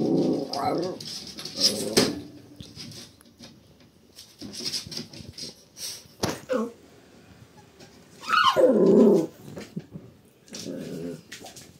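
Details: Shiba Inu puppies at 72 days old: rough, low growling bursts and short scuffling noises, then a loud yelping whine that slides sharply downward, followed by a few softer grumbles and light clicks.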